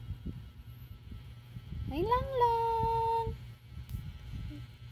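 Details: Pet cat at home, one of several kept cats, giving a single drawn-out meow that rises quickly and then holds a steady, level tone for about a second before stopping, with soft voices and household noise behind.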